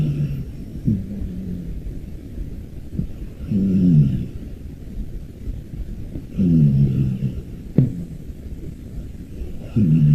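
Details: Sleeping rescued brown tabby cat snoring, apparently through a blocked nose: low, rasping nasal snores with a wavering tone, each breath about three seconds apart, with quieter breathing between.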